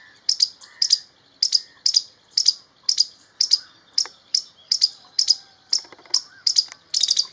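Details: An Eastern gray squirrel (Sciurus carolinensis) gives sharp, high chipping calls, repeated steadily about twice a second.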